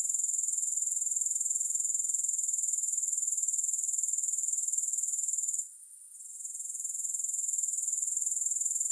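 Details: Continuous thin, high trilling of grasshoppers, a rapid pulsed rasp at constant pitch, with a brief quiet gap past the midpoint before the chorus resumes.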